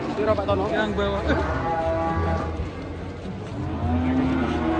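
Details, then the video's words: An angry cow gives low, droning moos that swell and fade, partly buried under voices and faint background music. "SAPI NGAMUK SERAM BIKIN KAGET"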